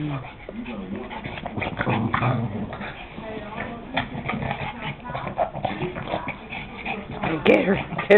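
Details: Two Boston Terriers growl low and rumbling in rough "bitey face" play, with a person's excited voice over them.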